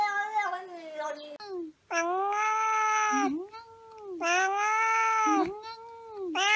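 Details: Talking cat giving long, drawn-out wailing meows, each about a second or more, rising then holding a steady pitch with a slight dip, several in a row with short gaps; a voice is heard briefly.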